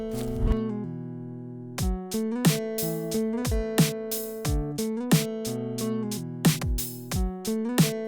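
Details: Plucked guitar chords and notes play steadily, with no animal sounds present. The music is indoors and nothing else can be heard.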